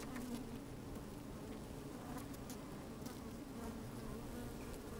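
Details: Inside an open beehive on a fine sunny day, honey bees move about; a dense, even low buzzing drone with light crackling and clicking, microphone set down among the bees.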